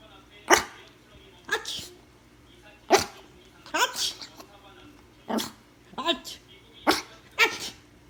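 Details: Pomeranian puppy reacting after its owner imitates a sneeze: short, sharp, breathy barks in separate bursts roughly every second or so, mixed with human voice and sneeze-like noises.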